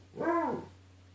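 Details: Bruce, a dog confronting his reflection in the glass of a closet door, gives one brief arched whine-like call against a steady low hum in the room.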